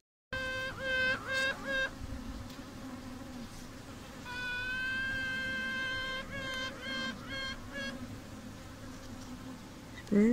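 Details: Honeybee queen piping from a bee laboratory in Oxford: repeated tonal toots, several short pulses then a long rising sustained pipe of about two seconds, followed by more short toots, over a low hive hum.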